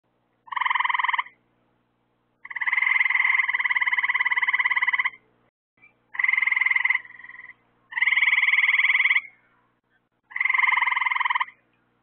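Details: Frogs calling at night near lights set out to draw insects for them: loud, buzzy pulsed trills of one to two and a half seconds, separated by short silences, five bursts in all, with a fainter trill between.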